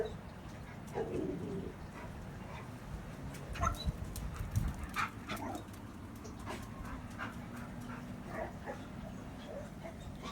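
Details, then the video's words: Mako, a pet dog, whimpering oddly while neighbours make noises: soft whining tones around 1.5 and 3.5 seconds, then faint short whimpers, over a steady low hum and scattered clicking. "makos weird whimpering when neighbours are making noises"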